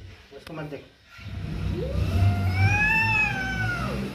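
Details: Mother cat with her kitten, angry: after brief human speech, one long yowling meow that rises slowly, holds with rich harmonics, then falls away, over a low rumbling background.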